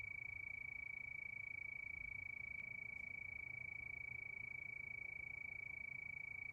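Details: Cricket calling at night under the moon: a steady, pure, high-pitched trill of very rapid even pulses that runs without pause, with faint harmonic overtones above and a soft low background hum.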